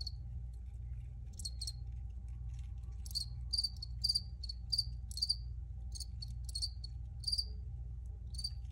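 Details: Crickets chirp loudly and clearly in high, sharp pulses, growing denser midway into a fairly regular run of bright chirps, with a low steady hum behind them.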